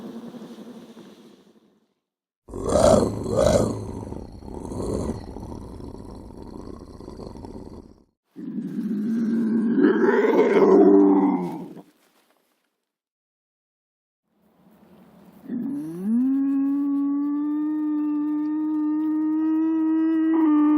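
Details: Lynx giving coarse, throaty growls in two bursts, then after a pause a long, drawn-out tonal yowl that rises at the start and holds a steady, slightly climbing wail for several seconds.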